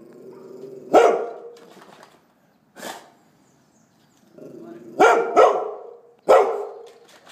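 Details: Young Golden Retriever yapping in quick high barks, a single bark then a pair and another single, over a low whining hum; faint tapping noises in between.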